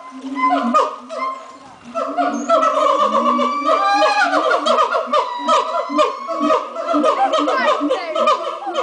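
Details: A troop of monkeys at Twycross Zoo in full morning chorus, making a racket of loud, overlapping hoots and chattering calls.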